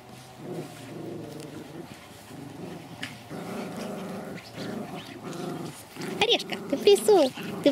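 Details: Pomeranians at the Elenhouse kennel in Kyiv, growling during feeding as Chika, the faster eater, moves to take food from Oreshek: a low, rumbling, buzzy growl held for several seconds, then high squeaky whines and a woman's voice.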